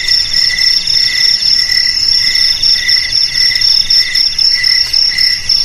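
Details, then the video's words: Several crickets sing together: one sustained high-pitched trill and a lower, pulsing chirp in brief repeated bursts, the chirping briefly thinning near the middle before resuming. "Suara JANGKRIK Pengusir TIKUS Paling Ampuh untuk di Rumah,Garasi,Gudang,Sawah Agar Aman dari TIKUS"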